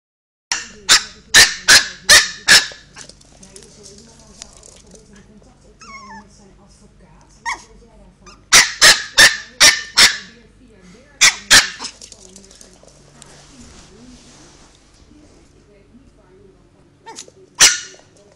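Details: Mr Sniffle, a three-month-old Chihuahua puppy, barking for the first time: sharp, high yips in quick runs of four to six, then a short pause, another burst, and one last yip near the end over a quiet room.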